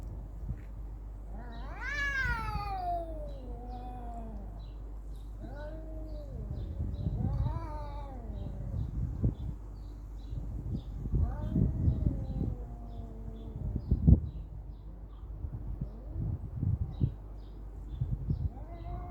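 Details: Cat fight with a high, rising screech followed by several lower, wavering yowls, punctuated by scuffling thumps and rustling noise between cries.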